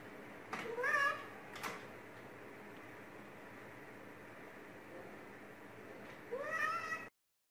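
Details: Domestic cat indoors, staring down the fish and its own reflection, gives a short rising-falling meow near the start and another upward-sweeping meow near the end, with a quiet room in between.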